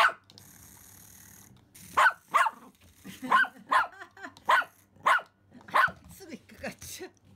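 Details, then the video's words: Excited Pomeranian Simba meeting a remote-control rat for the first time: a run of eight or so high, sharp yaps coming about every half second, with a soft growly edge between barks. "リモコンのネズミに大興奮のポメラニアン Pomeranian who saw a remote control rat for the first time"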